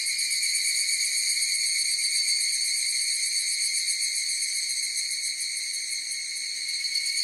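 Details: Chorus of higurashi, the evening cicada. Many insects make one unbroken shrill ringing with layered tonal bands and a slight rapid throb. The loudness eases a little near the end. No birds or people are heard.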